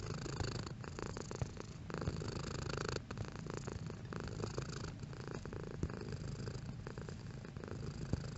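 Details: Domestic cat purring at varying intensity indoors: a low, continuous rumbling purr with a fine rhythmic flutter, holding steady apart from a brief dip near the third second; no other sounds.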